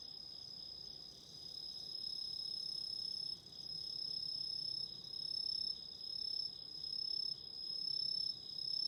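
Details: Autumn insects calling beside a candle flame: a dense, steady high trill from several callers in two bands, with a fainter thin whine above, swelling and dipping slightly every second or so, with a faint low rustle beneath.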